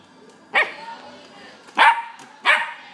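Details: A male sable-and-white Welsh Corgi, born March 27, 2016, gives three short, sharp barks about a second apart.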